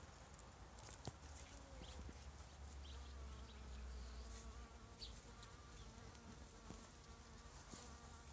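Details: Carpenter bee (Xylocopa violacea) gathering pollen among runner bean flowers, a continuous low humming buzz with faint harmonics that swells and fades as it moves, with a few sharp ticks and low background rumble.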